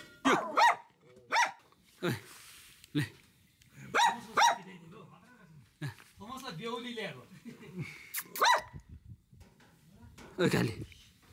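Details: Bhote Kukur (Himalayan sheepdog) kept on a dog farm at Kali Pokhari, eastern Nepal, above 3,000 metres near the Nepal–India border: loud, sharp barks, single and paired, scattered over eleven seconds, with people talking in Nepali between them.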